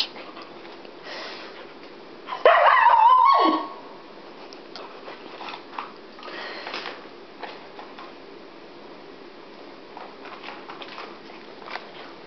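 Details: Siberian Husky named Iris, worked up after being left behind when others went to PetSmart, lets out one loud warbling, wavering whine-howl lasting about a second mid-clip, surrounded by quiet indoor rustling and faint movement sounds.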